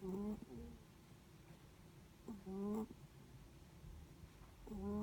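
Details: Netherland Dwarf rabbit asleep, its breathing making soft nasal snores, each a brief whistled tone with a rising tail, repeating about every two and a half seconds over a quiet indoor background.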